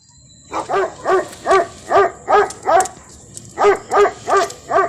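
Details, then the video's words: German Shepherd and Phu Quoc dogs fighting, barking in a rapid series of loud harmonic barks, about two or three per second with a short pause midway, over a steady high electrical whine. "Chó becgie đại chiến phú quốc"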